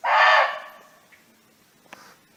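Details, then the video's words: Free-roaming barking deer in natural habitat calling its friends: a single loud, rough, explosive bark lasting under half a second, then near silence with a faint click. "เสียงร้องของเก้ง (Sound of Barking Deer)"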